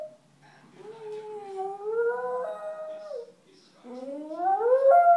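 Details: West Highland White Terrier howling indoors when lonely: a long wavering tonal howl rising and falling for about three seconds, a brief pause, then a second howl sliding steadily upward in pitch, with clear harmonics and a small-room echo.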